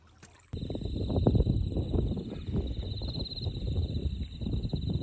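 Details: Insects hum a steady high note over the loud, rushing gurgle of a flowing stream in Shimogo, Fukushima Prefecture, Japan.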